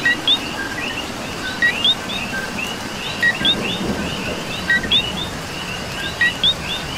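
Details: Chorus of coqui frogs on a rainy night in Puerto Rico. One nearby frog gives clear two-part calls, a brief note and then a rising whistle, roughly every second and a half, while softer callers overlap behind.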